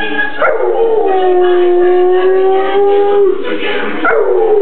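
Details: Dog howling along to Christmas music, a sustained tonal howl that holds steady then dips and rises again near the end, loud and continuous with rich harmonics throughout.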